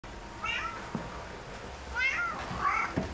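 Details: Domestic cat meowing among kittens: three drawn-out, tonal meows, each rising then falling, spaced about a second apart, with two soft thumps between them in a quiet indoor room.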